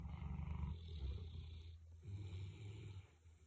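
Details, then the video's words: Big Boerboel dog asleep, snoring alongside another sleeping dog; deep, low rasping rumble with a fluttering texture, one long breath easing off near two seconds before a second rattling snore begins. "Big Boerboel’s Snoring"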